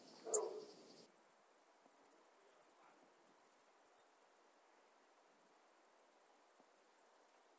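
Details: Song of an Alpine saw bush-cricket at Brixen, Italy, 11 September 2022: after a soft thump, brief groups of two to four high, dry clicks recur about every half second, then fade into quiet.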